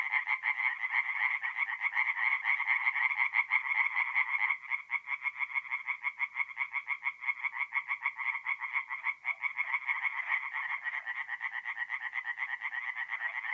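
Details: Singing tree frogs at a forest pond by night in mid-April, North-East Italy: a dense chorus of rapid, rattling croaks pulsing several times a second, overlapping callers forming a continuous band, briefly thinning midway then resuming.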